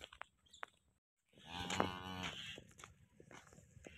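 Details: Cow named Jani Best at Muhammad dairy farm, Chak Hayat Pur Jhawarian, Sargodha district, Pakistan: a short gap of silence, then one loud, drawn-out, harmonic moo lasting just over a second, with light clatter and barn noise around it.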